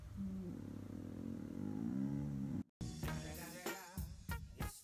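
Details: Border Collie named Xiaoman, kept as a pet, voicing a low, drawn-out, moo-like growl while staring fixedly outside; a steady low rumbling tone for about two and a half seconds, then a break followed by human speech.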